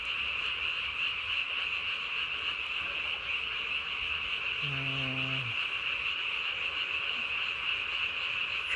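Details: Japanese tree frog calling at night on 3 May 2020, throat vocal sac inflated nearly as large as its body; a dense, unbroken high buzzing chorus holds steady throughout, with a brief low harmonic tone near the middle.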